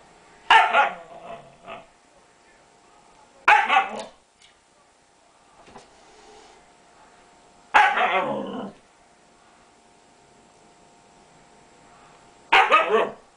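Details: Household dog barks at a cat because it wants to play. Short, loud, rough barks come singly or in quick pairs, spaced roughly every three to four seconds over a quiet indoor background.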